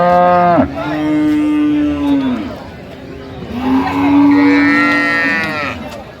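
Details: Dairy cow of an improved milking breed at Ambari cattle market, Dinajpur, among calves; two long, steady, resonant moos, the first about two seconds and the second rising slightly near the end, over a background of chatter.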